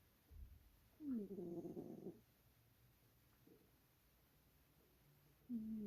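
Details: A cat snoring in its sleep: a soft breath, then a loud grating snore of about a second that rises and holds, faint breathing in between, and a fresh snore starting at the close.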